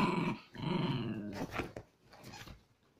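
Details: Two Chihuahua cross dogs at aggressive play give a continuous rough growl, pulsing and throaty, fading into scuffling noises and quieter snarls.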